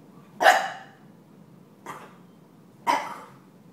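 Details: Stella, a pet puppy, barks indoors while being taunted by Gomez, the household's deaf cat: three short, sharp barks about a second apart, the middle one softer and shorter, in an otherwise quiet room.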